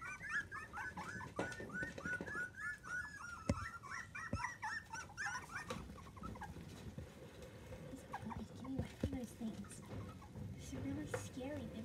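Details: Young miniature dachshund puppies from a litter of seven, aged days to three weeks, give dense overlapping high squeals early on, fading to lower whimpers and soft grunts later, amid rustling and faint voices.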